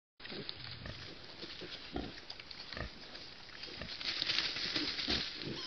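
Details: Wild boar piglet suckling from a sow: rapid, irregular soft grunts and smacking clicks, several per second, over a steady broad hiss of background noise.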